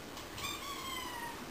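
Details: Benny, a pet cat that likes to talk, gives one faint, drawn-out meow with a slowly falling tone, set against a steady low indoor hum.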